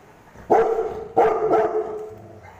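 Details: A Rottweiler being poked by kids gives two deep, rough barks with a short growly follow-on, angry at the children.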